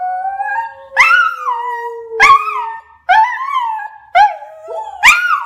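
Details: Pet dog indoors, singing along with its owner or howling sounds, giving a series of rising, wavering howls, each starting abruptly and gliding down, about five in a row with short gaps.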